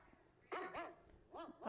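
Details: A recording of a dog barking, played to condition a puppy to stay calm, gives four barks in two quick pairs, each sharp and arching with a thin, tinny tone.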